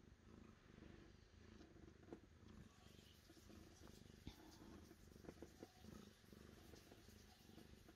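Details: A cat's continuous low purr, a throbbing, even rumble that holds steady throughout, with a few sharp ticks and light handling noises.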